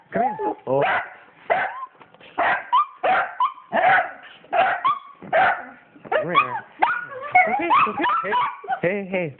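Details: Two pet dogs, Penny and Oliver, excitedly greeting their owner returning home: high rising whines, yips and short barks in quick irregular bursts, overlapping the owner's constant soothing talk.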